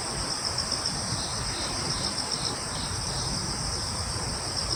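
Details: Crickets chirp in a wood on Yeongjong Island, Korea: rapid high pulses of sound, beaded and quick, layered over a steady insect hiss and a low rumble.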